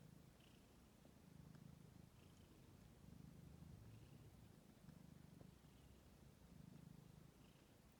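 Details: Stray kittens ten days old, recorded on 6 May 2022, purring softly and steadily in low rumbling pulses, each swell lasting over a second, with a faint hiss in the background.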